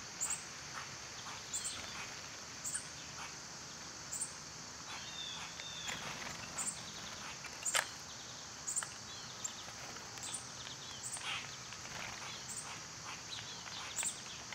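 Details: A continuous shrill buzz from summer cicadas holds steady throughout, dotted with frequent brief bird chirps and a few soft twittering notes.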